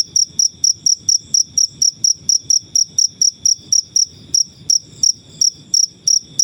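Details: Cricket heard in nature, kept as a tutor recording for caged birds: bright, high-pitched chirps pulsing at a brisk even pace, each brief and ringing, background otherwise quiet.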